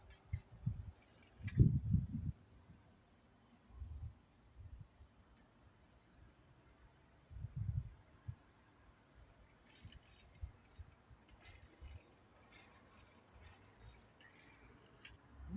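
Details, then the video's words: Cicadas at sunset in Yuma, a steady, high, unbroken buzz running evenly through the whole stretch, with occasional low wind bumps and rumbles. "Yuma Sunset with the sound of cicadas!"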